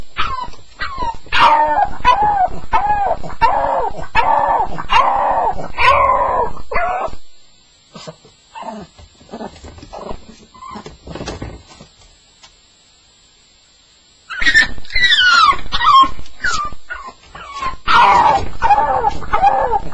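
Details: Staffordshire Bull Terrier on its first night, in what is described as a nightmare: rapid whimpering yips and whines in bursts, a long quiet stretch, then another outburst of yelping whimpers.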